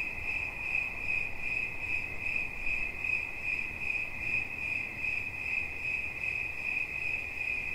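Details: Cricket trilling high and steady, its rapid chirps blending into a sustained metallic ring that gently swells and fades in loudness, with a light low-frequency rumble underneath.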